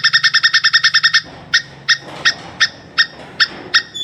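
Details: Plantain squirrel giving a mating call: about ten sharp, bright chips in a fast burst, then single chips slowing to roughly every 0.4 seconds, with a faint low hum underneath.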